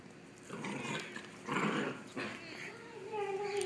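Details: Two dogs, Milo and Madison, horsing around indoors: rough, breathy growling bursts, then a thin whining tone at the end, with a person calling their names.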